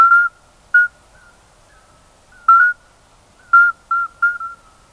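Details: Common midwife toads, several males, each singing in the silent intervals of the others to reach females: clear, pure fluty hoots, some brief and clipped, others slightly longer, given singly and in quick pairs, with silence between.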